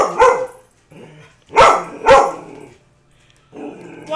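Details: Household dog barking at a cardboard cutout of a man that frightens it; one bark, a soft grumble, two loud barks close together, then a woman's voice coaxing it.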